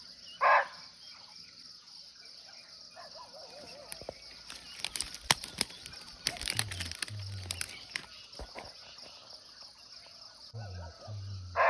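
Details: Barking deer (muntjac), wild and unseen, calling from nearby in a natural forest in Nepal: two loud, sharp single barks about eleven seconds apart over a steady high insect drone, with scattered rustling and crackling between them.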